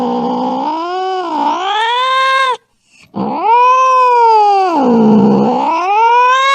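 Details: Angry cat: two long, drawn-out harmonic yowls separated by a brief silence. Each slides low, rises, then dips and swells again in a wavering moan. No other sounds.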